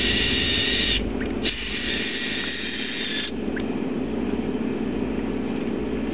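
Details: A pet leopard gecko, provoked by its keeper's handling, gives a harsh, hissing squeak in short bursts, a defensive sound meant to scare off predators and likened to a baby T-Rex.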